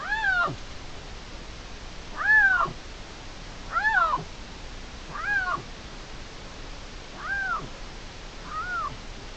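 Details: Young dispersing male Iberian lynx meowing to make itself noticed while two males claim the same hillside territory in Spain, filmed in June: six drawn-out, falling meows with rich overtones, spaced about one to two seconds apart and fading toward the end.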